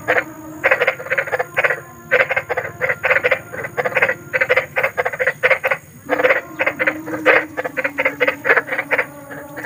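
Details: Large frogs croaking in nature, said to sound eerie and used as a night sleep aid for fussy children; dense overlapping croaks in rapid bursts, several per second, with short pauses between runs and a steady high hiss.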